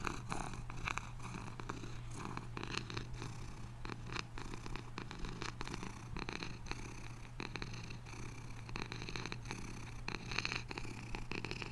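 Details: Steady, deep purring from a house cat, an unbroken low buzz with fine regular pulses and soft breathy swells, close and quiet with nothing else audible.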